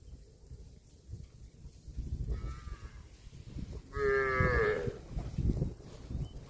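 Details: Grazing cow moos twice: a faint short low call, then a louder drawn-out nasal moo of nearly a second that bends upward at the end, over a background of chewing and rustling grass.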